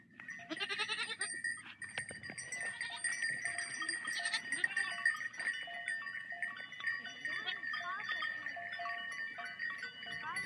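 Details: A large herd of sheep (Ovis aries) bleats amid the steady clanking of many bells as they walk through water.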